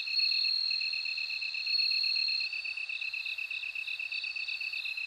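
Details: Bell cricket's bright, continuous high-pitched ringing, strong for the first two seconds and then softer and more broken, alongside another insect's fast, regular pulsed trill.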